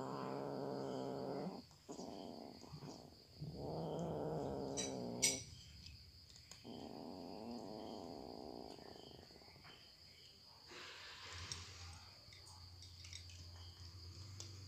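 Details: Cats eating: long, low, rumbling growl-like murmurs that run almost continuously for the first half, then quieter chewing clicks and a soft hum.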